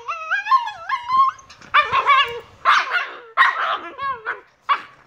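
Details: Two Shiba Inu puppies, Niro and Kyno, 118 days old, giving a long rising-and-falling whine, then a series of short high yips and barks in quick bursts, some overlapping.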